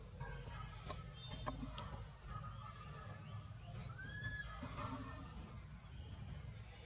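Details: Baby monkey Anissa, held and not released by monkey Aron, gives scared calls to its mother: thin, high, rising squeals repeated every one to two seconds, with a brief lower whistled note, over a steady low rumbling background.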